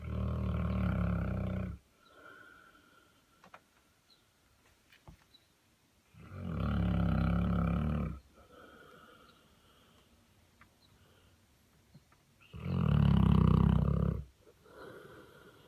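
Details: Sleeping in a clawfoot bathtub, a Saint Bernard snores in three long, deep, rattling inhalations, each about two seconds, repeating roughly every six seconds, with quiet breathing between.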